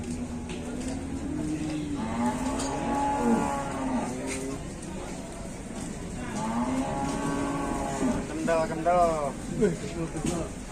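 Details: Angry cows moo repeatedly, several long low bellows overlapping across ten seconds, the last ones breaking into rougher, wavering calls.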